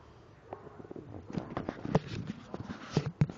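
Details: A sleeping Labrador Retriever snores in low, rough, uneven rumbling breaths with soft snorts and clicks in a quiet room; its owners say it is dreaming or having nightmares, its eyes moving and its body twitching as if in convulsions.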